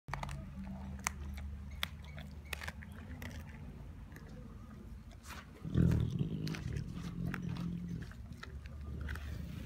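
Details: Tiger at brunch, feeding: a deep, low rumbling growl swells loudly midway through, surrounded by a continuous low drone and scattered sharp crunching and chewing clicks throughout.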